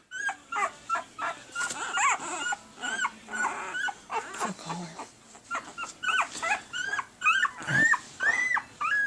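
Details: Red/sable male Pembroke Welsh Corgi puppies at one week old, AKC registered, April 2020 litter, squeal in a steady stream of short rising squeaks, roughly two a second, with a person talking softly in between.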